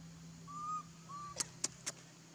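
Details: Baby monkey Leo crying as it begs its mother for milk while she refuses; two short, level, whistled cries of equal pitch, each about a third of a second long, followed by three sharp clicks over a low steady hum.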